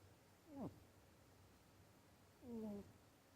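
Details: Onigiri, a pet rabbit, snoring or breathing heavily in its sleep indoors, unusually loud for a rabbit, though it is healthy: two drawn-out, tonal, whining snores a couple of seconds apart, each sliding downward, over a quiet room hum.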